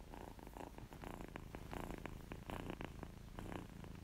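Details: Short close-up of a kitten purring because it feels good, low vibrating rumble swelling and easing with each breath, light crackly overtones on top.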